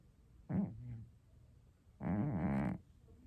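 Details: Scottish Straight cat snoring indoors, a short low grunt followed by a longer buzzy, vibrating snore of under a second.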